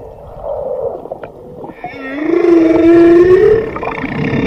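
A whale gives a long, slowly rising tonal moan with a harmonic, wavering quality.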